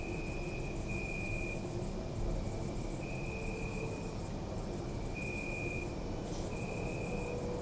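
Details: Night crickets in a city park chirp in fast high pulses, broken by brief pauses, while another insect gives on-and-off sustained trills; steady low city hum underneath.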